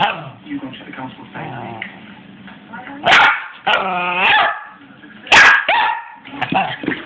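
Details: Six-month-old Cairn terrier and Westie cross puppy gives two sharp barks with a drawn-out whine between them. Quiet human talk is heard in the background.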